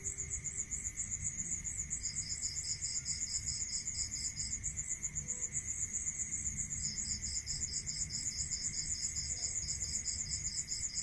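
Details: Night-time crickets calling in rural surroundings. A shrill, fast-pulsed trill never stops, while a second, lower-pitched pulsed trill comes in for a few seconds, pauses, then returns. A thin steady tone and low background rumble sit underneath.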